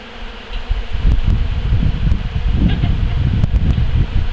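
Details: Bees working over honey-harvesting equipment after the harvest, taking the honey back to their hives; quiet at first, then a thick, low, rumbling hum swells up and stays loud with fluttering variations.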